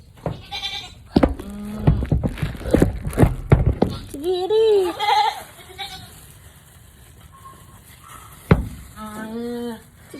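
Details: Nanny goat in a difficult labour. Quavering, rising-then-falling bleats come midway and again near the end. Between them a person speaks encouraging words in Filipino, with several sharp knocks.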